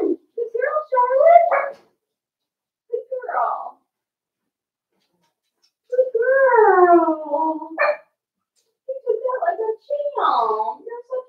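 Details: Daisy's four-week-old Cavalier King Charles Spaniel puppies in a pen indoors, whining with drawn-out wavering cries that slide downward, mixed with short yelps and squeaky bursts in several spells separated by quiet.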